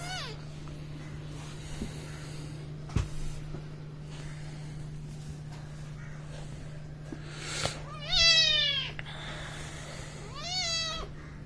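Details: A mischievous house cat playing with a boy calls twice near the end, two clear arching meows a couple of seconds apart, after a long stretch of low steady hum, faint clicks and a woman coaxing it.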